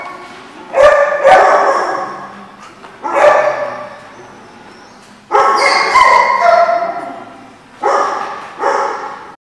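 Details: Dogs at The Barking Lot on 1/9/15 give loud, ringing barks with strong harmonics, one in pairs and others singly, about five bursts spread over nearly ten seconds with short quiet gaps between them.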